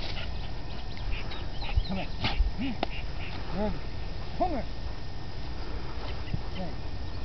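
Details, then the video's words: Red nose American Pit Bull Terrier at play, giving a few short, arched whiny yelps with rising-then-falling pitch, spaced about a second apart, over a steady low rumbling background noise. "Red nose PitBull playing"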